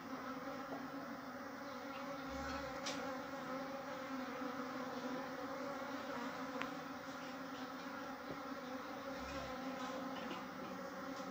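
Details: Honey bees at a natural nest, building comb and storing honey, a steady, dense droning hum of many bees with even, layered tones and a few faint ticks.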